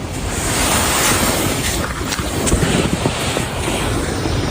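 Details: Loud wind rushing over the microphone, like surf, fills the recording with no animal voice.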